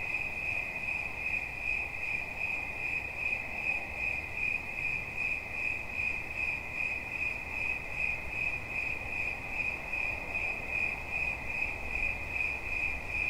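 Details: Cricket for relaxation listening: high, shrill chirps pulse in an even rhythm over a constant ringing tone, steady for the full length, with a low rumble underneath.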